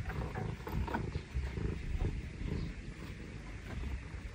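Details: A younger-brother Scottish Fold cat, in an affectionate, wanting-attention mood, purrs in a deep, steady rumble that swells and fades with each breath.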